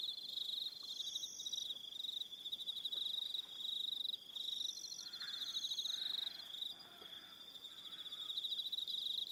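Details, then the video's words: High continuous trilling of crickets at evening on Aroha Island, New Zealand, with short higher pulsed phrases coming and going and a faint lower sound near the middle beneath the insect chorus. "1 Hour Relaxing Evening Sound of Crickets"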